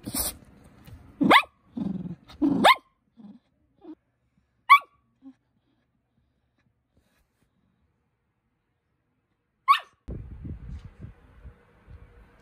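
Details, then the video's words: Cookie the poodle puppy barking for attention: a few sharp, short barks in the opening seconds with small soft yips between, then a long quiet stretch broken by one more bark and low rustling at the end. "강아지가 관심을 끄는 귀여운 방법"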